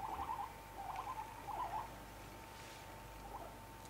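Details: Indoor guinea pigs making three short trilling chirp bursts in the first two seconds. The bursts are followed by near quiet with only a faint steady hum and a soft rustle.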